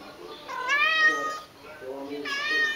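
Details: A domestic tabby cat sings during an extended vocal bout. Two long, tonal meows rise and then sag, the first lasting about a second, followed by a softer low murmur and a second bright, wavering cry.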